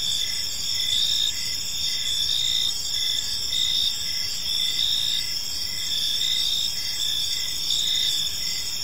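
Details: Park crickets at evening give a continuous high, shimmering chorus, short chirps stacked in several pitch bands and beating in loose repeated pulses, faint background hum below.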